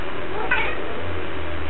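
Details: Domestic cat 'talking' indoors while a person asks about playing with a string; one short, bright meow near the half-second mark over a steady, loud background hum.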